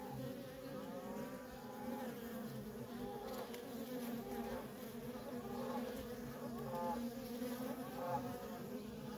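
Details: Worker honey bees in nonstop traffic at a feral colony: a dense, steady droning buzz with layered low hums, faint wavering higher tones drifting through midway and near the end.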